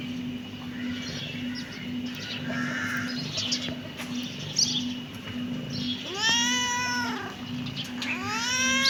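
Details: Kitten giving two loud, clear meows near the end, each rising sharply then sliding down, after a stretch of quiet rustling and soft background hum.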